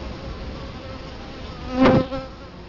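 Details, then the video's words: Hum of Italian honey bees at a Colorado Springs hive entrance in 2011, with one bee zooming close past the camera near the two-second mark in a sudden loud buzz before the drone settles again. "Bee hive Entrance"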